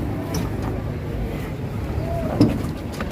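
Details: Low engine rumble with faint voices and a brief knock, with no animal sound heard.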